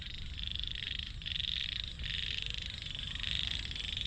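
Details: Frogs being caught to feed to fish: a dense, continuous pulsed trilling chorus, high-pitched and steady, swelling slightly in loudness across four seconds, over a low background rumble.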